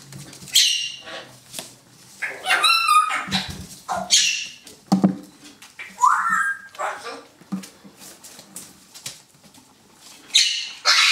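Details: Poodle puppies from a litter, filmed 17 November 2014 in their puppy pen, play-fight over a stuffed teddy: short high yelps, squeals, soft whimpers and scuffling growls in uneven bursts with quiet breaks.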